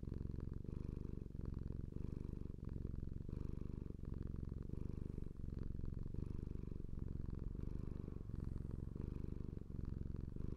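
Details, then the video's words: Domestic cat purring up close indoors: a steady, deep rumbling drone with soft rhythmic pulses, swelling slightly with each breath about every one and a half seconds, continuous throughout with no other sounds. "The HEALING SOUND of a cat's PURR"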